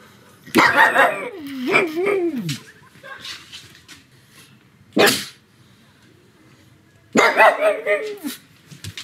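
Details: Pug dog barking loudly in its house on a sunny afternoon: a rough bark sliding into a wavering howl-like tail, a lone sharp bark, then a choppy two-part bark, with quiet gaps between.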